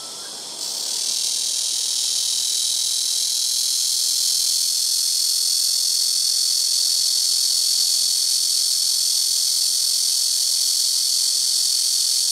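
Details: Black cicadas singing noisily in rooftop trees, calling in turn from several trees: a quieter start that swells within a second into a dense, continuous high-pitched buzzing drone.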